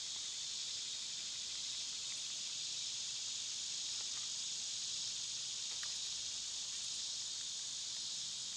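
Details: A constant high insect drone from cicadas in summer, steady and hissing, with scattered faint short clicks partway through.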